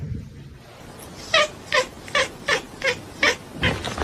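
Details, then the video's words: Pet cat giving a run of short, evenly spaced meows, about seven calls roughly every half second, each a brief harmonic-rich note, over a quiet room background. "funny cats talking"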